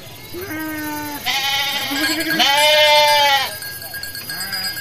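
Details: Sheep from a flock of hundreds, walking calmly to their pen after a midday meal, give long quavering bleats, a lower call first, then a loud drawn-out bleat lasting about two seconds, then a short quieter one.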